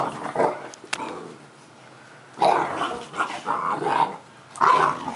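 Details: Puppy playing under a pool table in a small room, letting out loud gruff barks mixed with growls in short bursts, with a sharp knock near the start.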